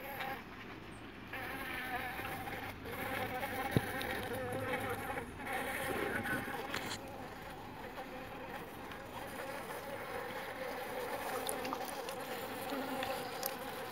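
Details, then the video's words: Jandaíra stingless bees at a home meliponary in São Paulo among over thirty bee boxes; a steady droning hum with layered harmonic bands, swelling and fading as insects pass, with faint clicks and background noise. "Jandaíra Forte"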